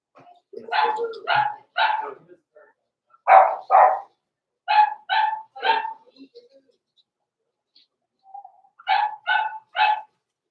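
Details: Indoors at the Red Barn Cavaliers puppy pen, blenheim Cavalier King Charles Spaniel puppies born November 14, 2022, yap in short clusters of two or three high barks, separated by brief pauses. Faint soft sounds sit between the clusters.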